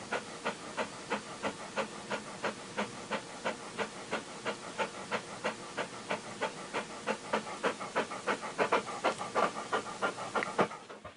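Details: A dog panting: quick, breathy huffs repeated about three times per second, steady and rhythmic throughout, growing slightly louder toward the end before fading.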